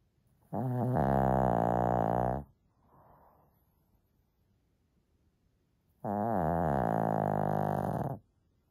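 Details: A small female Shih Tzu snores loudly while asleep in long, rattling, buzzy breaths several seconds apart.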